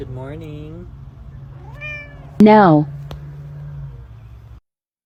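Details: Domestic cat from a funny cat compilation giving three meows: a short falling mew, a brief rising one, then a louder, strained, wavering meow near the end, over a steady low hum and a couple of sharp clicks.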